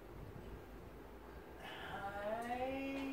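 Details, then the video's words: Nine-week-old Belgian Malinois puppy, woken from sleep by its owner returning from work, greets him at the door indoors: after a quiet opening comes a drawn-out, tonal, slightly rising whine with rich overtones, held for over a second. "Belgian Malinois Greeting"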